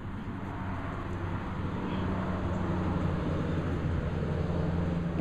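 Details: Steady low engine drone, like an idling vehicle, continues throughout; no animal sounds.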